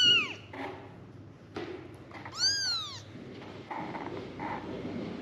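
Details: Kittens of a litter of five calling for their mother: a short falling mew, then a clear arched mew, among soft rustling and shuffling sounds.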